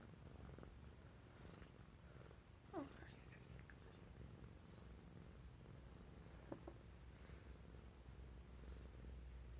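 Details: Sleeping Burmese cat giving a continuous low purr, with a brief higher rising-falling sound near three seconds and a short click later, indoors.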